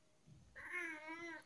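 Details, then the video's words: Tabby cat with a lot to say, giving one drawn-out wavering meow that starts abruptly and holds steady for nearly a second in a quiet room. "My cat has a lot to say today"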